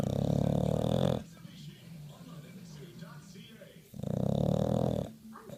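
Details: Bulldog at home snoring loudly, two heavy rattling snores about three seconds apart separated by soft breathing.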